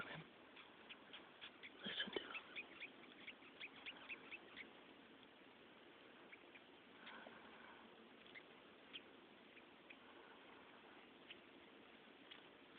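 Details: Cow killer or red velvet ant (Dasymutilla occidentalis), a flightless wasp, gives a faint, scratchy stridulation squeak in quick bursts, loudest near the start, a strange screaming noise.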